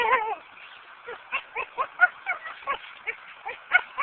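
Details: Lucy, a pet dog frustrated while trying to fetch a brick she cannot carry back, recorded on a Samsung A900m phone; a strained whine opens, then short nasal grunting yelps repeat roughly every quarter second.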